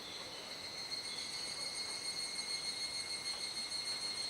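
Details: Cicadas calling together at dusk in Kuji, Iwate, Japan, mid-July in the rainy season: a steady shrill, layered buzz with fine rapid pulsing, no clear breaks, a soft hiss underneath.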